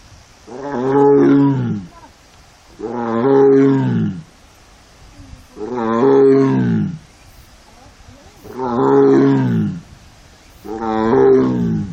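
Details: Female Korean tiger in her heat period, let out alone into an arboretum enclosure in South Korea on 1 September 2022, cries sadly: five drawn-out, deep, harmonically rich moans at steady intervals of about two and a half seconds.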